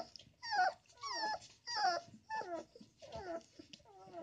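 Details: Young male puppy, mad that his mother has taken his sleeping spot in the litter box, gives loud, distinct whines, each sliding downward then wavering, spaced about half a second apart in a quiet room.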